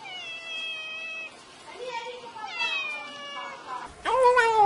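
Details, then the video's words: Cute, playful black kitten meowing: several drawn-out, harmonic meows, some level and some falling, ending in a louder rising-and-falling meow near the end, with possible voices in the background. "Tiếng Mèo Kêu Meo Meo"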